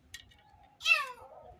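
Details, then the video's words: A kitten crying for help gives a single loud, harmonic-rich meow that swells and then slides downward, trailing off over about half a second. Before it there is a faint steady tone and soft low knocking. "Kitten Crying for Help"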